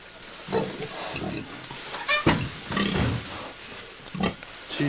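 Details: Pregnant sow on a farm in Collinsville, due to have piglets soon for the second time, on a 1997 home recording; low grunts are broken by a few sharper, higher squeaks spaced about a second apart.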